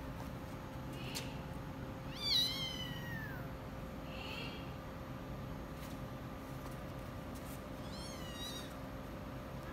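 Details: Persian cats playing together, recorded 26 August 2017, give short, falling meows with a steady background hum.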